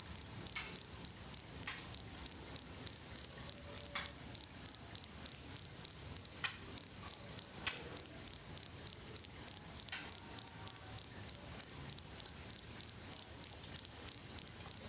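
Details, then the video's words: Cricket song for tutoring and therapy of songbirds: a continuous, metronome-like series of sharp high chirps, about three each second, sustained throughout, with occasional faint clicks behind it. "Suara Jangkrik Untuk Pemasteran Dan Terapi Burung Kicau"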